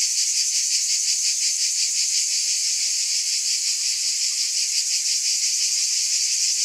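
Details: A chorus of cicadas forms a bright, continuous, shrill drone whose fast pulsing wavers slightly, steady and loud for the whole stretch.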